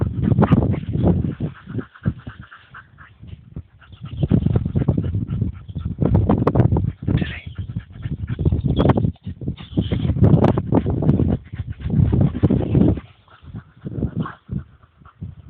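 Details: A pet dog, a male, sneezing and snorting hard to clear his nose: loud, rough, breathy bursts that come in clusters, each lasting a second or two with short pauses between them, heavy in low rumbling tones and with no clear pitch.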